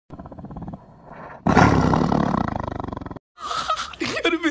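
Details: A walking tiger gives a deep, rasping roar, then people speak and applaud.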